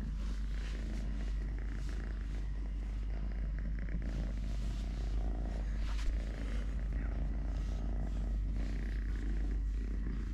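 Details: Totoshka, a three-legged pet cat whose leg was bitten off by his mother at birth, purring while eating, playing, walking and fighting with a hand: a steady low rumbling purr with rapid even pulses running throughout, faint higher rustles above.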